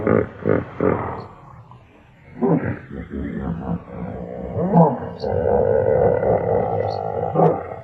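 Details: Hippopotamus giving roars and grunts: a run of deep, pulsed grunts at the start, then a long, rough, rumbling roar that swells and holds through the second half.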